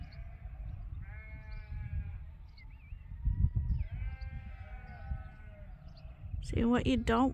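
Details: Flock of sheep crowding at Ewetopia Farms in the morning before release to fresh pasture; distant overlapping bleats throughout, then a loud, tremulous bleat close by near the end, with low farmyard rumble.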